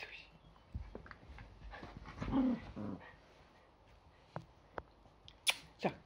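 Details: Yorkshire Terrier growling during morning play fighting at home on a Sunday, short rough bursts and a brief low whining growl mid-clip, with scattered sharp knocks and a person's voice near the end.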